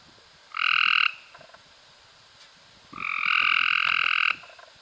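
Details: Cope's gray treefrog recorded in May 2016: a short harsh trill of about half a second, then a longer buzzing trill of over a second, both rapidly pulsed with two stacked bright tones, against faint background clicks.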